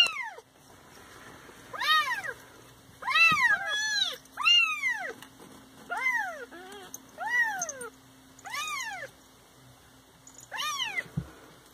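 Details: Several Siamese cats meowing in a lively moment, a run of about eight loud arched meows, some overlapping, rising then falling in pitch, coming every second or so over a quiet indoor background.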